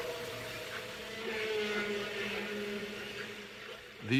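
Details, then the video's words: Humpback whales passing near Bermuda in spring, recorded by hydrophone in very deep water, give long, low, sustained moans ending in a sharp rising whoop, echoing off wave undersurfaces and submarine canyons and ridges. "These are underwater sounds made by humpback whales as they pass near Bermuda in the spring. They were recorded through a hydrophone,"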